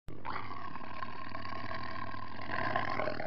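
A tiger gives a deep, rasping roar that holds steady for about three seconds.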